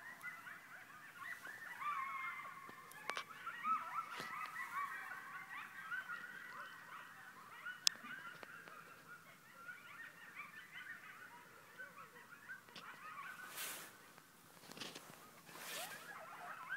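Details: A pack of coyotes about 100 yards away, right outside a home, gives an overlapping chorus of wavering, high-pitched howls and yips that comes from all directions.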